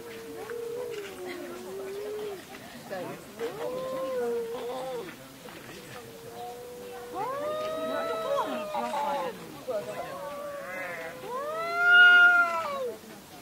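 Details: Screaming cats in a fight give a series of sustained moaning wails. They start low and level, then turn higher and more strained, and the loudest rising yowl comes near the end.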